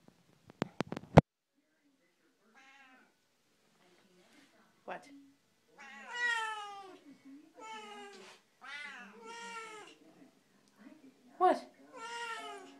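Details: Chatty Siamese cats, two together indoors: a run of harmonic, wavering meows and trilled chatter, several rising and falling calls in a row, with a woman's voice talking to them between calls and a few sharp clicks at the start.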